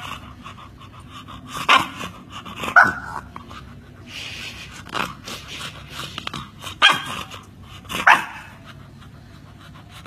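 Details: Chow chow and Alaskan Malamute puppies giving several short, sharp high yips and barks spaced irregularly over ten seconds, with background chatter and rustling between them.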